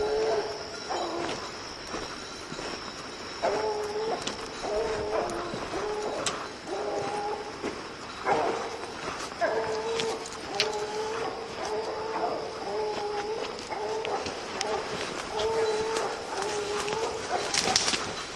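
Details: Evening hunt with young dog Lillie baying at her treed quarry: repeated hollow barks, partly masked by rustling and footsteps, coming faster toward the end in a near-continuous chain.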